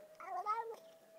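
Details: A cat described as talking gives a short, slightly warbling meow of about half a second while someone urges it to say hello; a steady faint hum runs underneath.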